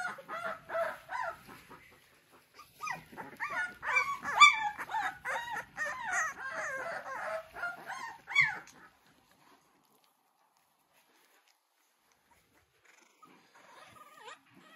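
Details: Three-week-old American Bully puppies from a King Clyde x Dynasty litter, recorded in 2022, give overlapping high whines and squeaks in a busy chorus for about nine seconds, then fall quiet, with a few faint squeaks near the end.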